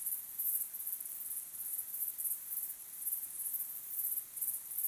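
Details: Sunset cricket song: high, faint, rhythmic chirps in small clustered bursts over a few seconds, gently rising and falling in loudness, with nothing else distinct.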